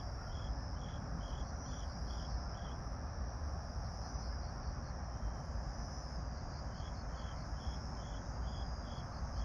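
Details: Grass insects sing a steady high trill alongside bursts of quick chirps over a low rumbling background, recorded on an evening of 26 September 2022 at 18:46 under a pink night sky as an airplane takes off.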